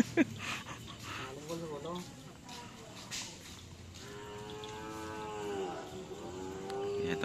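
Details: Cattle at karapan sapi bull race training on the Asemanis field in Pamekasan: a drawn-out, harmonic lowing moo lasting about two and a half seconds, sagging then lifting at the end, with voices and scattered clicks nearby.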